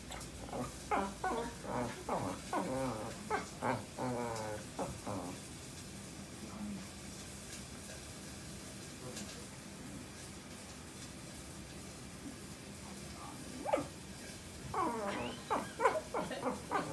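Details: Tricolor Shetland Sheepdog talking a lot while seeking affection indoors: a run of quick whiny, moaning yips and whines over the first five seconds, a quiet stretch, then more high, rising whines near the end.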